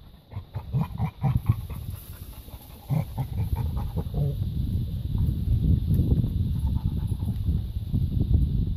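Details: Labrador retriever puppies at play in a garden give short, low, gruff yips and grunts in quick irregular bursts, with scuffling and rustling noise throughout.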